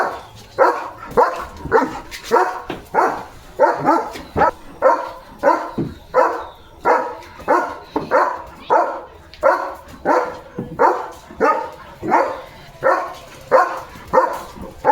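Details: German Shepherd named Leo barking loudly as he plays outdoors in the rain among flowers, getting drenched; a long run of rough, punchy barks repeating steadily, roughly one or two per second, over the patter of rain.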